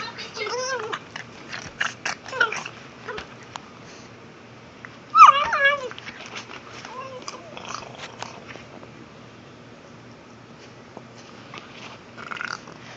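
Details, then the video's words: Pug making noises while playing with a ball indoors: short nasal whines with rising and falling pitch, the loudest near the middle, mixed with snorts, clicks and rustling from play. "pug making noises"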